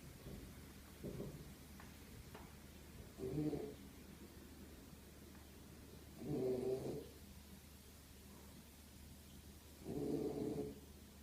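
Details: Zion the Beagle lies asleep and keeps snoring, low buzzy breaths roughly every three seconds, some snores stronger and rougher than others, against a soft steady background hum.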